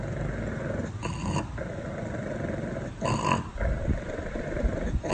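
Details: A pet pug growling: a continuous low, rough rumble with short, louder, breathy bursts roughly every two seconds, and a person speaking softly just before.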